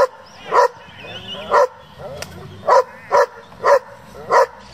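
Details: German Shepherd from a breeding and competition hobby group, letting out about six loud, separate barks with short pauses between them, and faint murmuring and noises in the gaps.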